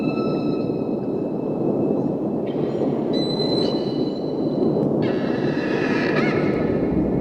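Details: Humpback whale (Megaptera novaeangliae) male mating song, believed to announce his presence to females: long tonal moans and sliding whistles over a steady wash of underwater noise.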